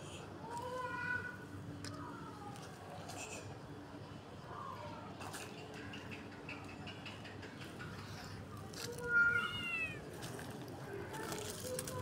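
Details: Tabby kitten with its mother in a garden on the street, fed fresh cat food while eating; short rising-falling meows near the start and again around nine seconds, over steady outdoor background noise and a spoken voice.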